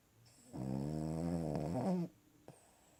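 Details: Cavalier King Charles Spaniel asleep on its owner's lap, giving one long harmonic snore of about one and a half seconds, droning and steady, in a quiet small room.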